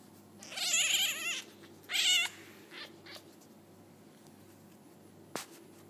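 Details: Five-day-old F1 hybrid Bengal kittens, sired by a leopard cat with a Bengal mother, give two high, wavering mews in quick succession, followed by a fainter squeak and a brief click in a quiet room.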